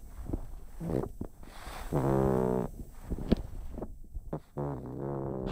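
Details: Chip, a pug, snores in his sleep: low buzzing, nasal moans swelling and fading, one long tonal breath in the middle, with snuffles and raspy air noises around them.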